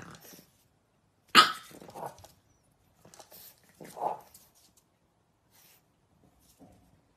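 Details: French Bulldog puppies: a single sharp, loud yelp-like bark, followed by a softer short whine about three seconds later, with faint scattered rustling and small noises in between.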